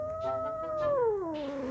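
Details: Ucok, a pet domestic cat that often turns grumpy during filming, gives one drawn-out meow lasting almost two seconds. The tone holds level, then slides downward, just before food is offered behind the scenes. Indonesian speech follows.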